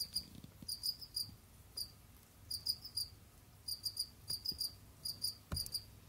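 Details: Jamaican field crickets, Gryllus assimilis kept as pets, hunting and roaming, trill short high chirps in doublets and triplets, joined by light clicks and taps from movement and a faint low hum.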